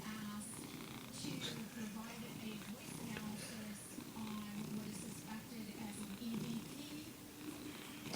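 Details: Domestic male cat purring and cackling, a continuous low rumbling purr with rhythmic pulses and occasional clicky, cackling notes above, while a person speaks softly in the background.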